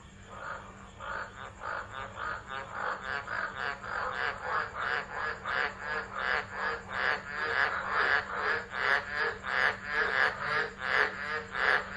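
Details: Tropical frogs calling in chorus during a tropical storm low at Driver, Northern Territory, Australia, on 13 December, recorded with a phone camera left unattended. Dense rapid pulsed croaks repeat about three times per second, with a steady high insect-like hum above.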